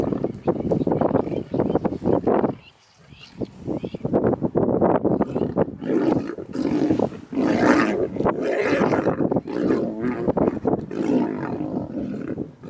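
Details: Wild lionesses squabbling over a kill within a pride in Mara Naboisho Conservancy, Kenya: continuous harsh snarls and guttural roaring growls with a short lull near three seconds, faint human speech mixed in.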